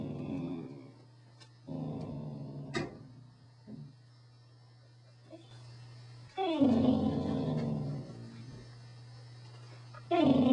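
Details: Corgi making rumbling, throaty grumbles and growl-like vocalizing in drawn-out bursts of a second or more, separated by quieter gaps, against a steady low background hum.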